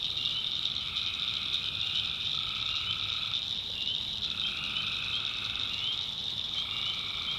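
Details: A nighttime swamp chorus of tree frogs in the North Carolina backwoods. A steady, shrill wall of sound with lower droning notes, each lasting one to two seconds, that come and go in overlapping turns.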